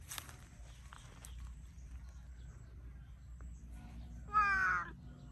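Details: Pet cat, kept as a cute, talkative house cat, gives a single short harmonic meow near the end, slightly falling in pitch, after a quiet stretch with faint clicks and a low background hum.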